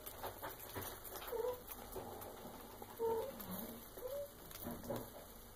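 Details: Karina, a female Maine Coon cat aged eight months and two weeks, indoors at home around feeding time, gives three or four soft, short, rising chirp-like meows spaced about a second apart, with faint rustling and handling noises.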